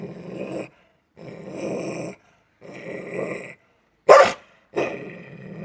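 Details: Belgian Malinois dog growling: three rough, rumbling growls of about a second each, separated by short silences, then one sharp, loud bark followed by the start of another low growl.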